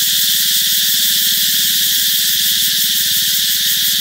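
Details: Summer-heralding cicada song, an even, piercing high whine lasting the whole stretch, over a fast, throbbing low pulse in the background.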